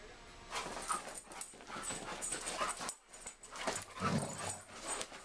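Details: German Shepherd and Siberian Husky play fighting together: short whimpering and growling bursts in irregular clusters, with scuffling noise between, a brief pause near the middle, then a louder low grumble before more whines.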